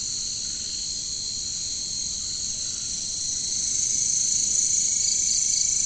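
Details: Katydids or bush crickets, locally called caricangkas, in a jungle setting; a steady high shimmering buzz without pause, swelling louder in the second half, with a faint second whine underneath.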